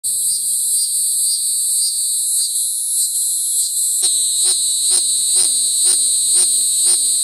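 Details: Cicada calling: a loud continuous high-pitched buzzing drone throughout, joined midway by a rhythmic pulsing layer of repeated swooping notes about twice a second.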